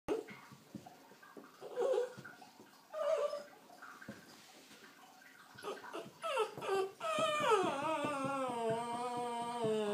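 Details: A cocker spaniel puppy too afraid to go down the stairs gives soft whimpers, then a long, wavering high-pitched whine.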